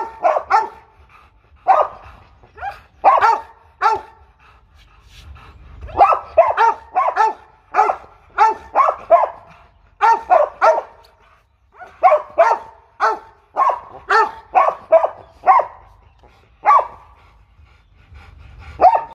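Deep, rough barks from a Rottweiler come in rapid clusters of two to four, with short pauses between runs. The barking is aggressive, loud and insistent throughout.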